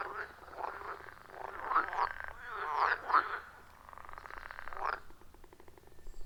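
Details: Distant chorus of wild frogs at a forest pond, iPhone 14 Pro with Shure MV88+: quieter overlapping croaks in an irregular pattern, a few sharper higher notes standing out, fading toward the end.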